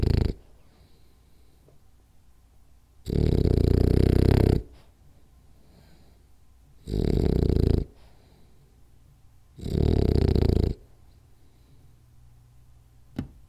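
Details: Sleeping French Bulldog snoring hard during a nap: three loud, gravelly snores, the first longest at about one and a half seconds, separated by quiet gaps, with a faint click near the end.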